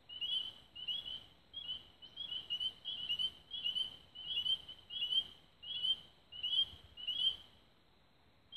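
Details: Frogs singing at dusk near Raven Rocks, Belmont County, Ohio, on 24 May 2016: high, sharp chirping notes, often in quick pairs, repeated about once every second from overlapping callers over a quiet low background hiss.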